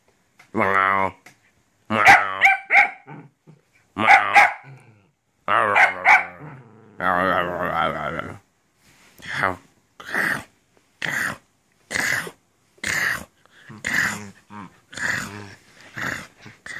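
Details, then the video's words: Shetland Sheepdog puppy playing indoors in an apartment, vocal and chatty: after a woman speaks Finnish to it, a run of short, sharp yips repeats about once a second, some mixed with her voice. "Sheltie puppy talking"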